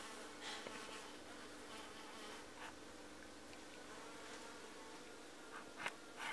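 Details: Hive of honey bees that built natural beeswax comb after four foundation frames were left out for a season; continuous low, even hum with scattered brief clicks and knocks, sharper near the end.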